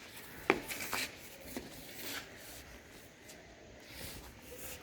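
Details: Rubbing and scraping noises in a small indoor room, with one sharp knock near the start and soft rustling throughout.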